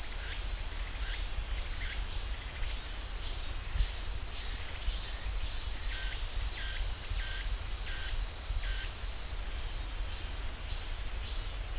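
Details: Cicada chorus in the pine woods of Ssanggyesa temple on Jirisan, National Park: continuous shrill buzzing hiss, overlaid by short repeated pulses roughly every half second to second, plus a low background rumble.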